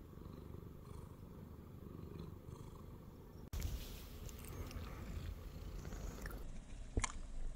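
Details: Purring of Shamue, an ex-stray Siamese cat resting on a person's belly; a low steady rumble, then an abrupt shift halfway with louder rustling handling noise and a sharp click near the end.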